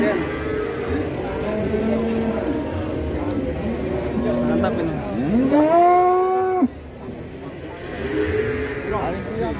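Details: Cow at a livestock sale in Indonesia, a large animal bought on the spot without bargaining; a loud, drawn-out moo that rises then falls before cutting off sharply, with crowd chatter and background music throughout.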